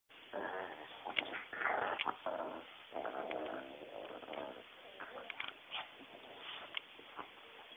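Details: A Pekingese attacking and bullying another dog snarls and growls in rough, throaty, aggressive bursts.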